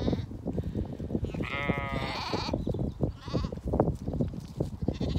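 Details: Zwartbles sheep on a regenerative farm in County Kilkenny, Ireland, bleating as ewes finish eating meal in the evening; one drawn-out, wavering bleat stands out over steady munching and shuffling noise.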